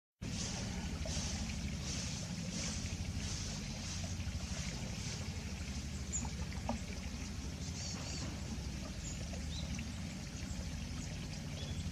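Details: A steady low rumble with pouring, water-like noise fills the whole stretch, and no animal voice stands out.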